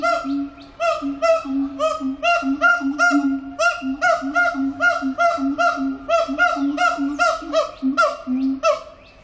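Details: Siamang song recorded at Antwerp Zoo, from a captive ape: a rapid, rhythmic run of bright, honking barks, about three or four per second, layered over a lower pulsing hum.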